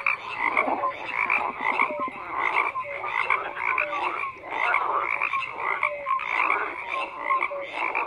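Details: Croaking frog chorus: several callers overlap in bursts of rapid rattling pulses, with short upward-sliding tonal notes scattered through a steady background of calls.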